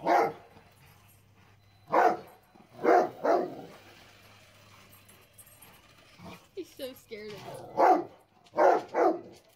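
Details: Rottweiler barking while reacting to a remote-control car, giving deep single and paired barks spaced by pauses of one to four seconds, with a person's voice heard briefly between them.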